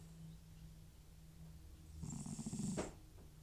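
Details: Elderly cat Butcher, FIV-positive with a history of runny nose and sneezing, asleep indoors; after quiet breathing, one loud rasping snore swells for about a second with a low rumbling core and a hissy airy top.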